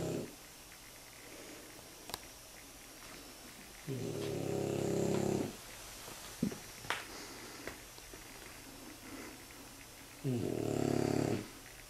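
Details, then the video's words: Two French Bulldog puppies, 9 months and 9 weeks old, snore comfortably in their basket in long, low, rasping breaths that rise and fall slowly. "Snoring French Bulldog puppies"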